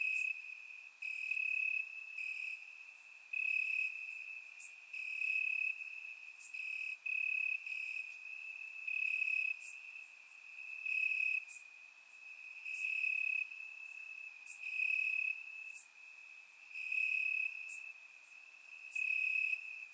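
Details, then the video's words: In Bulgarian grassland on a warm summer night, crickets chirp steadily: a bright high trill broken into bursts about every second, swelling and fading in volume, with thin higher chirps layered in the background. "Cricket Sounds - Crickets Chirping at Night"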